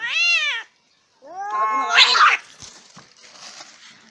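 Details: Fighting cats produce a brief arched yowl, a pause, then a rising wail that breaks into a harsh, noisy hiss-like burst before fading into quieter scuffling sounds.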